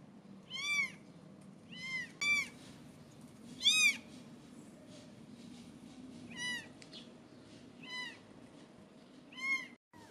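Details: Seventeen-day-old British Shorthair kittens giving thin, high arched mews in irregular bursts, a few close together then longer gaps, with a soft low room noise underneath.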